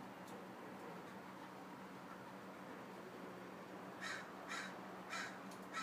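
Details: A female Douglas squirrel (chickaree or pine squirrel), keen on walnuts, gives a few harsh, raspy barks in quick succession after a quiet start.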